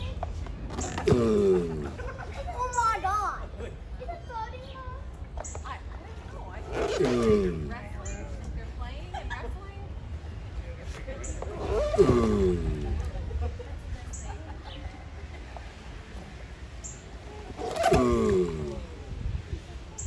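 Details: Mating giant tortoises: four drawn-out, descending groans, each lasting about a second, arrive at intervals of about five to six seconds, with a crowd's voices and chatter in between.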